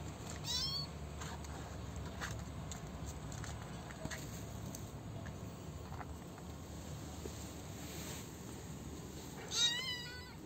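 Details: A young male kitten, the last one left after his siblings were taken away, now being cared for and fed, gives high, thin meows that bend up and down in pitch, one near the start and one near the end, over a steady background hiss.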